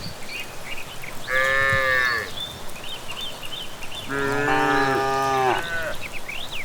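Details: Village cattle heading home after evening grazing give two long, rich harmonic moos, the second lasting about one and a half seconds, while small birds chirp faintly in the background.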